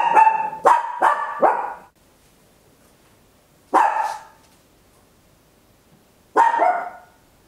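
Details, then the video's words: At home, a tiny Papillon barks very loudly, stereo recording on an Olympus LS-11: a rapid run of four barks, then single harsh barks roughly every two and a half seconds. "Tiny Dog Barking Very Loud, Papillon"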